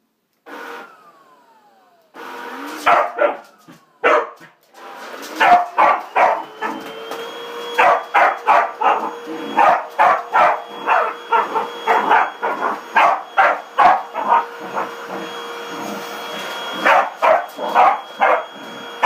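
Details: Corgi barking at a running vacuum cleaner indoors: rapid, sharp, repeated barks, sometimes several per second, in dense bursts over the steady whine and hum of the vacuum motor.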